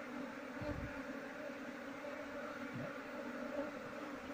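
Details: Honey bee colony being moved into a cultivation box without capturing its queen: a steady, low droning hum of many bees with layered tones, continuous throughout, plus a couple of faint soft thumps.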